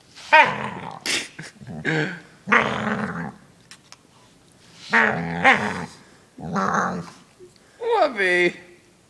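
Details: Dog being brushed indoors gives a run of strange vocal noises: repeated buzzy growls and falling, harmonic moaning groans roughly every one to two seconds, with a person's voice mixed in at times.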